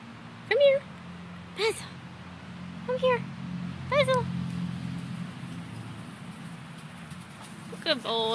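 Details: Corgi dog herding an out-of-control yellow ball, giving five short whining yips with high harmonics, spaced about a second apart, over a steady low air-conditioning hum, with a man's voice praising the dog.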